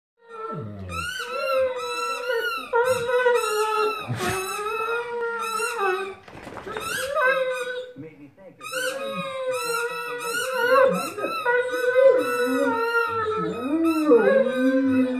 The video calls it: Great Dane funny Howl